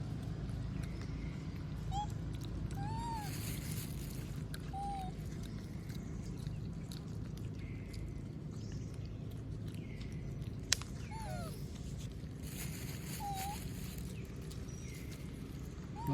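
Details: Monkey named Moby begging for food while other monkeys eat peanuts; short, thin, arched whimpering calls recur irregularly every second or few seconds over a low rumbling outdoor background.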